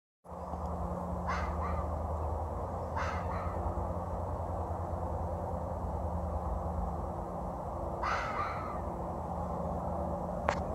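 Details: Foxes crying to one another as they communicate, outdoors: a few short, harsh calls at about one, three and eight seconds, the last one descending, over a steady low hum.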